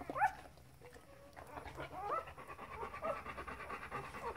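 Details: Four-day-old Golden Retriever puppies make squeaky, whining cries, each a short tone bending up then down, in uneven bursts over soft snuffling and panting.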